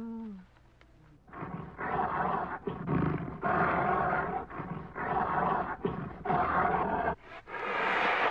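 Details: Bear giving a series of loud, raspy roars, each burst about a second long with short gaps between, rising to a harsher, louder final roar.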